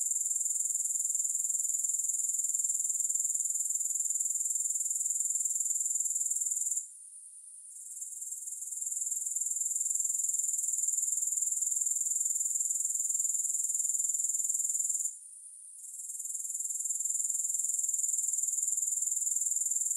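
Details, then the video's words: Unbroken shrill insect trill from grasshoppers, high and thin, with fast even pulses. Two short drops in loudness, near seven and fifteen seconds, interrupt the buzzing before it swells back. No music. "Grass Hopper Sounds"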